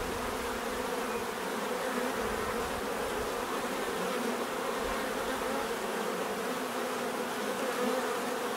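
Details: Many bees humming together in a constant, evenly loud drone with several stacked tones and no pauses.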